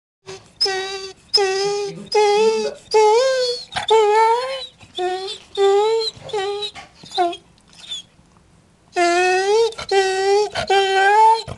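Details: English Springer Spaniel indoors, asking to be let out and fed: long drawn-out whining howls in repeated bursts, each tone wavering and bending upward, with brief pauses between.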